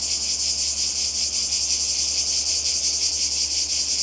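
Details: A few seconds of cicadas at the Croatian coast in summer 2020, an intense shrill whirring with fast even pulses, continuous from start to end above a low background hum.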